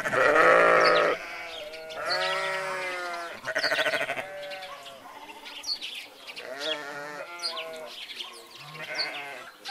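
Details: Sheep bleating, several overlapping wavering bleats from more than one animal; a loud drawn-out bleat opens, followed by a run of shorter, quavering bleats and quieter calls trailing off toward the end.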